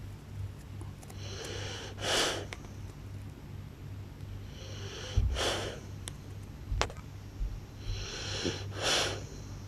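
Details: Blue French Bulldog snoring loudly while asleep indoors: three rasping, hissing breaths about three seconds apart, each a broad wheezy rush of air, with a steady low electrical hum underneath.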